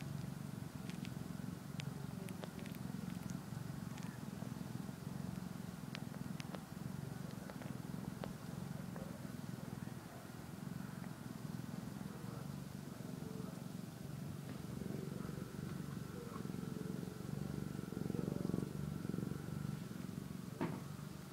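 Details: A kitten eating and sleeping; a soft, steady low rumbling purr runs through the whole recording, with scattered faint clicks and ticks on top and a quiet background hum.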